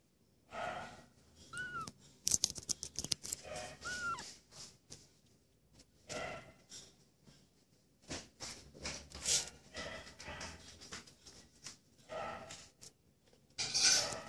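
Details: A stray cat filmed in January 2016 gives two short, high mews that rise and fall, a couple of seconds apart early on, amid clicking, rustling and scraping noises close by.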